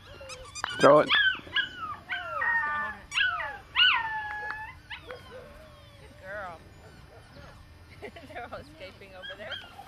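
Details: A litter of seven-week-old Australian Shepherd puppies, all female, produces a sharp squeal followed by a jumble of bending whines and quick yips, some long and sliding downward, with people talking nearby.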